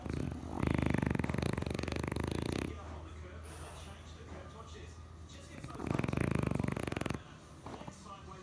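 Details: Sleeping, dreaming French bulldog gives two deep, buzzing, rattly snores, the first about two seconds long and the second shorter, separated by soft, low breathing.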